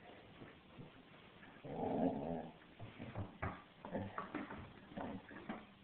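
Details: A 6-month-old female black Labrador Retriever puppy, playing with a toy, makes a burst of low growling, then a string of short whines and yips.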